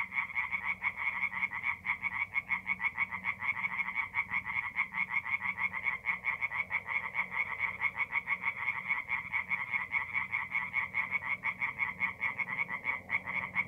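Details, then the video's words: Singing tree frogs, mid-April night at a forest pond in north-east Italy; a thick, unbroken mass of rapid rasping croaks, evenly pulsed throughout, with faint low background hum. "relaxing forest pond by night with singing tree frogs"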